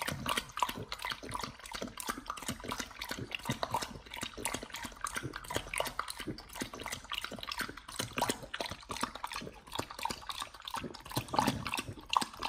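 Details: Nomyen the Pit Bull feeding on a raw whole Thai duck, first try on a prey-model diet; continuous wet, rapid chomping and crunching, dense and rhythmic throughout, with occasional louder bites.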